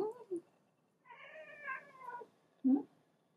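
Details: Pet cat held in its owner's arms, wanting to get down and angry; a drawn-out, harmonic, complaining meow with wavering pitch lasting over a second, then a short sharp low cry, with brief shorter sounds before.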